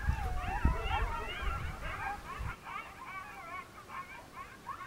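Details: Coyotes of one pack howling together in the Northern New Mexico mountains at dusk, monsoon storm approaching; quavering, warbling yips and howls continue steadily, with low rumbling noise early that then drops away.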